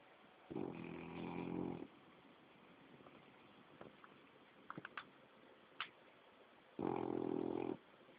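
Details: A seven-month-old French Bulldog asleep on a lap, snoring: two low, rough, buzzy snorts about six seconds apart, each lasting around a second, with faint small clicks and rustles between them in a quiet room.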